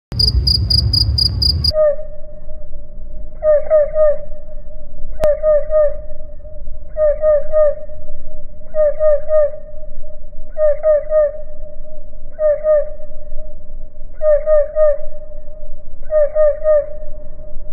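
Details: Cricket stridulation played in slow motion: after a brief burst of broadband noise with rapid high pulses, clustered chirp-like pulse groups repeat about every 1.8 seconds over a steady low, humming tone.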